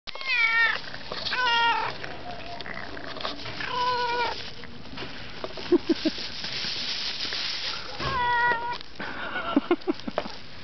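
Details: Hungry, angry domestic cat in Ternopil, Ukraine, eating meat, giving loud drawn-out meows with clear harmonics, about five calls spaced one to two seconds apart, with short chewing clicks between them.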